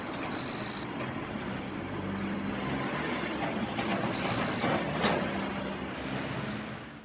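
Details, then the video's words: Eastern-Japanese katydid male rasping his forewings on a kwanso daylily bud to lure a female: two quick high buzzes, a pause, then a longer buzz, followed by a single sharp click, with dull low rumble underneath. "Love Song of Eastern-Japanese Katydid"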